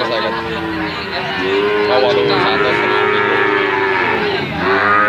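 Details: Brahman and Limousin calves calling, overlapping moos, one lower steady bawl running through the middle, with higher rising and falling moos from other calves layered on top, loud and continuous throughout.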